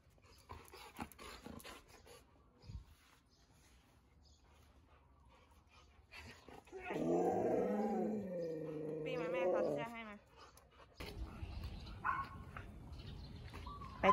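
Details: Siberian Huskies from Candy's home, Candy, Cookie, Bearry and Happy, out walking in cold winter wind around the neighbourhood in Ubon Ratchathani, Thailand. A wavering, drawn-out harmonic woo-woo vocalization lasts about three seconds, after quiet footsteps and rustling, then gives way to noisy outdoor sounds.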